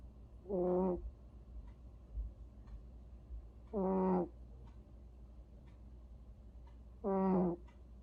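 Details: Cat snoring in sleep, three evenly spaced wheezy, buzzing snores roughly every three seconds, each short and harmonic-rich, over a faint low background hum.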